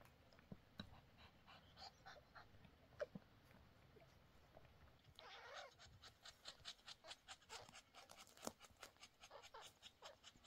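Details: Mother cat Snowflake giving birth to three kittens, with the father cat Bonik keeping her company; scattered soft sounds at first, then steady, quick breathy panting sets in about halfway through and keeps a regular beat.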